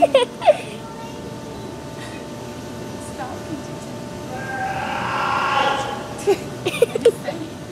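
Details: Seal at the New England Aquarium giving its scream, loud enough that police once thought someone was drowning: one long, harsh, breathy wail builds near the middle and fades after six seconds, with visitors talking and sharp clicks around it.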